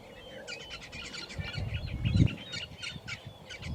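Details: Resident hippopotamus in the water at Scotia Dam near Idube Game Reserve lodge, giving deep, pulsing low grunts that swell to a peak around the middle, with chirping birds calling steadily above throughout.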